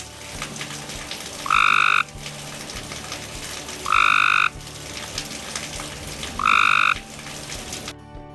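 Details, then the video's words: Cope's gray tree frog from Georgia giving three loud, buzzy trills of about half a second each, spaced roughly 2.5 seconds apart, over a steady background of other insect and frog noise. "If you hear a loud trilling belch, it could be from your neighbor, or it could be from a Cope's gray tree frog."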